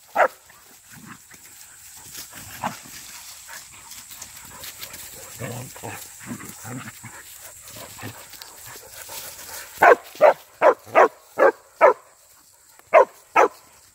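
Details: Young hunting dog during wild boar hunting agility training, first scattered softer sounds and rustling, then a rapid run of about eight loud sharp barks near the end, over a constant high-pitched whine.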